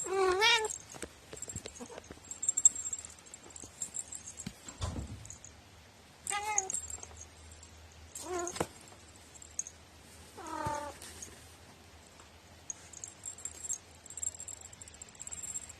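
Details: House cat known for its odd meow, recorded 21 April 2018: four short wavering meows spaced a few seconds apart, one dull thump, and faint clicking and rustling between calls.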